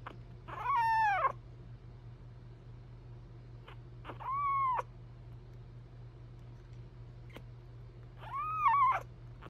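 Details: Indoor cat meowing, apparently trying to get attention; three drawn-out meows spaced a few seconds apart, each rising then falling, the last one loudest, over a steady low hum.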